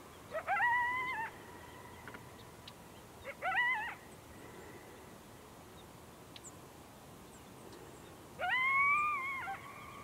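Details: A local wild coyote howling at a photographer gives three short howls, each swooping upward and then holding a steady, slightly wavering tone.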